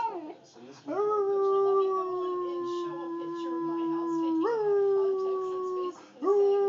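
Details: Wolf howling, recorded on an Android phone: long smooth howls held at a steady pitch with rich harmonics, each opening with a sharp upward slide, the first lasting about three and a half seconds before breaking and starting again.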